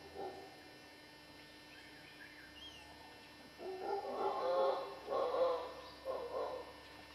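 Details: Howler monkeys in Costa Rica's dry western jungle roar in deep, rough, surging bursts, with faint bird chirps early on.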